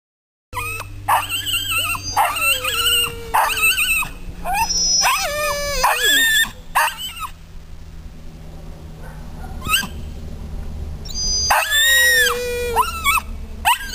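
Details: {'caption': 'Polish Lowland Sheepdog screaming at a squirrel it dislikes, joined by a Flat Coated Retriever: repeated high, wavering yelping screams with rising and falling pitch, rapid and irregular, over a steady low hum.'}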